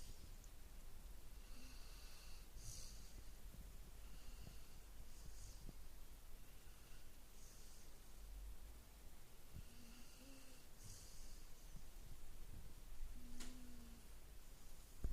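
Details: Golden Retriever asleep and snoring: low, rasping breaths repeating roughly every three seconds, with soft snorting exhales and faint whistly squeaks between them, indoors and quiet.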